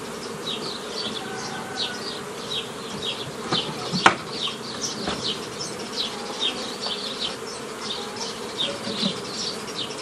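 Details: A mass of honey bees handled while a beekeeper forms nuclei from an earlier forager swarm, spring 2018. A low steady hum sits under many bright, quick bird chirps, with one sharp click near the middle.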